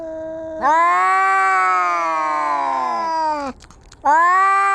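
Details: During a cat fight, a sustained moaning yowl swells up and holds for nearly three seconds before dropping off, followed after a short pause by another loud wail.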